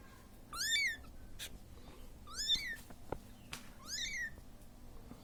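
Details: A young Siamese cat left alone cries for its mother with three arched, high meows about 1.7 seconds apart, the second softer, with a few faint clicks and knocks between calls.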